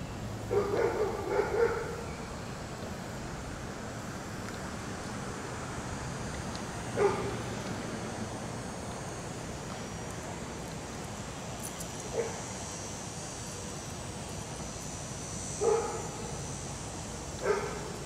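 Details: Dixie, a German Shepherd/Collie mix filmed before and after training by Raleigh Durham dog trainers, lets out a quick cluster of barks, then single barks spaced several seconds apart against constant low outdoor noise.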